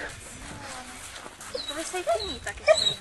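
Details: Dogo Argentino at a professional Italian breeding kennel, giving short high whimpering whines that rise and fall, two brief cries near the end, amid close Italian speech from people handling the dogs.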